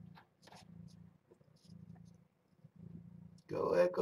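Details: Kittens from the litter of Nala Se, a stray cat taken in by Purrfect Pals, at morning formula feeding indoors: low, rumbling purr-like bursts about half a second to a second long with short gaps, then a loud human voice at the end.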